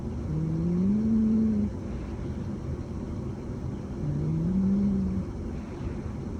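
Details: Sol, a rescued mixed-breed stray cat adopted at about three months old and kept for around four years, sleeping soundly indoors; two low, droning snores, each a slowly rising tone over a second long, about four seconds apart, over a steady low room hum.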